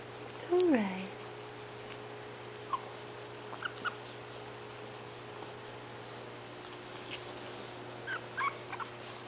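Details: Hungry 20-day-old puppy, one of a litter of five waiting indoors for their mother to feed them, gives a single falling whine, followed by a few soft, scattered squeaks over a quiet background.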